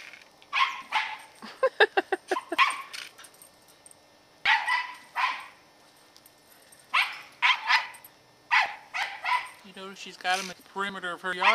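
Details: Katie, a female Scottish Terrier aged 10, guarding the yard against squirrels in November 2008. Bursts of sharp barking, including a quick rattling run, are followed near the end by a human voice.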